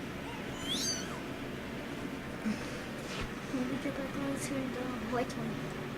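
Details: Litter of young kittens at play indoors: a single high, wavering, descending mew near the start, then a person's voice and faint scuffling over a constant background hiss.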